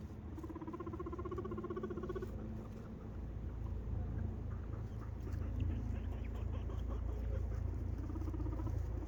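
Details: Two pet guinea pigs, which very seldom squeak, give a run of quavering mid-pitched squeaks for about two seconds, then bursts of shorter, higher rising whistled squeaks over a constant low background rumble.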